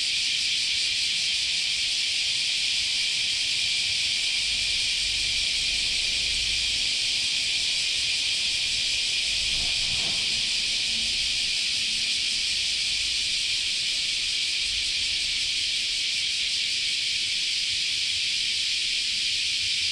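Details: Continuous chorus of cicadas in Japanese summer at Chionji Temple, Kyoto: a dense, unbroken buzzing hiss, high-pitched and steady throughout, with a faint low rumble and a brief soft knock near the middle.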